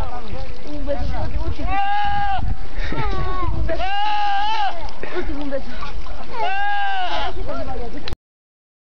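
Goats give loud, wavering, nasal bleats in three bursts while people talk in the background.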